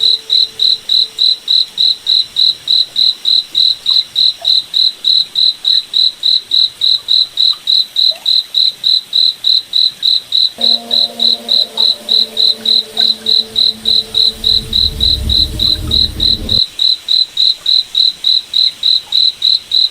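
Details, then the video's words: Nighttime forest cricket giving a rapid, very regular train of shrill chirps, roughly 3.5 each second; midway a low tonal hum and deep rumble rise for several seconds before fading. "Cricket Night Forest Ambience"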